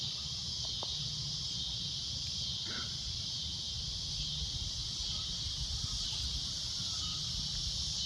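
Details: Cicadas at golden sunset give a loud, shrill, continuous droning buzz, a steady high band that swells and ebbs slightly; a brief faint chirp and low rumbling background noise are also heard.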